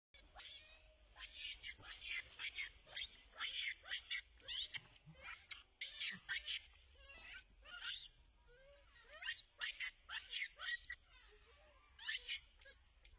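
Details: Baby Rainbow Monkey left alone after angry Libby leaves her, crying and wanting to go back to her mother; a rapid string of shrill, high-pitched squealing cries in short bursts, pausing briefly between runs.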